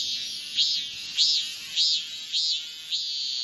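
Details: Male cicada calling to a female: a loud high buzzing drone with five swelling, rising-falling pulses repeated about every 0.6 seconds, like a pulsed maem-maem.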